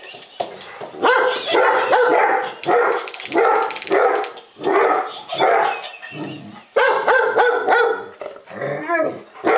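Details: Two pet Golden Retrievers, Charlie and Jake, the latter a timid rescue, bark in fear at a laughing lion toy; loud, harsh barks come in bursts roughly every second, with short pauses between volleys.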